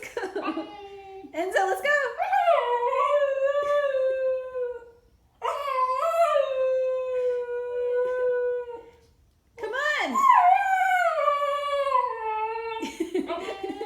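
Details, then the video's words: A Siberian Husky puppy throws a howling tantrum, with long, wavering, rising-then-falling cries, because he'd rather keep playing with his new toy than go outside to potty. "Siberian Husky Puppy Howling Tantrum"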